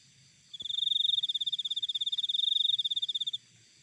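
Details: Cricket recorded in nature, giving one sustained high-pitched pulsed trill of about three seconds, rapid even pulses with faint upper overtones, over a quiet low rumble of background noise.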